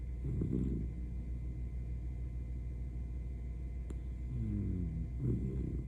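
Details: An elderly Miniature Dachshund snoring in sleep: a rattling snore at the start, a quiet pause, then a rising wheezy inhale and another snore at the end, against a steady hum.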